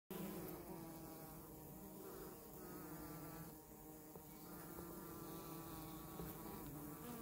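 Honey bees make a steady, droning hum with a low, rich buzz that rises and falls slightly.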